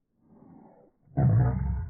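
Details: Boston Terriers fighting over a ball their owner holds, gumming at each other in play. A soft low rumble, a short pause, then a loud, deep, harsh growl that builds and holds for the last three quarters of a second.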